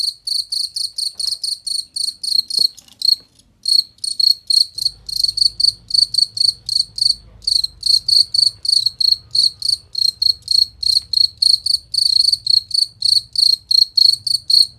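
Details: Cricket chirping, recorded as a clear, loud master track for training competition songbirds: short high pulsed chirps repeated in a fast steady train about three to four per second, with a faint low hum beneath.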